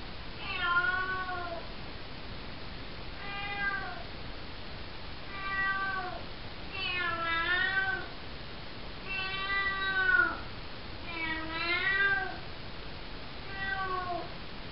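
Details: Night-time meowing from Cocoa, a four-month-old calico kitten in a bathroom, her calls taken as saying "hello": seven clear, harmonic meows about every two seconds, some rising then dipping, others sliding down, over quiet hiss.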